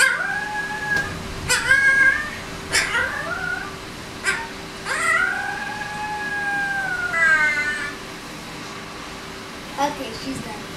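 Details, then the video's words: Female Alaskan Malamute and Siberian Husky mix pup, 20 days old, howling together with a boy; drawn-out wavering howls that rise then slowly fall, several in a row with short yelps between, over a steady low hum. "our 20 day old pup howling"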